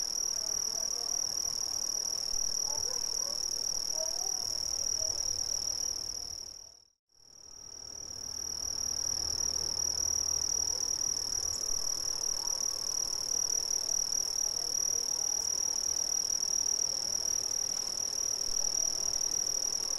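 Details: Brazilian cricket chorus, a steady high-pitched trill that fades smoothly to silence around seven seconds, then swells back to full, constant strength for the rest of the stretch.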